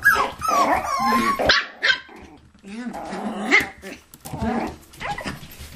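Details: Toy poodles and Pomapoos at play in an indoor living room play area, 9 November 2007, give rough growls, yips and whining squeals in irregular bursts, with a short bark-like yelp partway through and brief quiet pauses.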